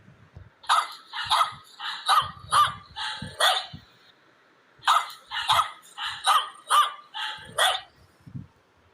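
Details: Dog barking: sharp, loud barks in two bursts of about six each, roughly every half second, separated by a short quiet pause, with soft low thumps underneath.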